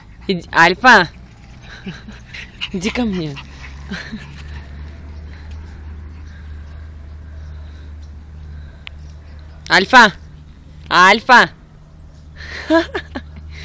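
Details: Pug named Alfa giving short, sharp yelping barks, a pair near the start, one more around three seconds, then another close pair near ten to eleven seconds, over a steady low hum with faint voices between.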